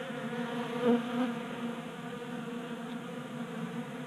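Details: Winter-active honey bees feeding from a bee feeder in a garage in Colorado, January; steady multi-toned buzzing drone with a short loud close fly-by buzz early on, then an even hum.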